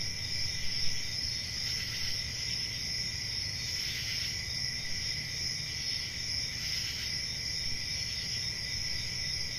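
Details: Summer-night cricket chorus in a forest after dark: continuous high shrill trilling layered in bands, with soft brighter swells roughly every two to three seconds, and a low background hum.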